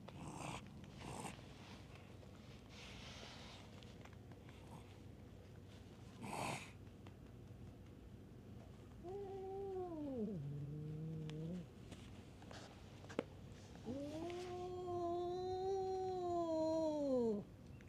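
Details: Stray cats in a fight at a tavern on a cat island. Scuffing and knocking noises come first, then a short wavering yowl that dips low, and later a longer rising-and-falling moaning wail.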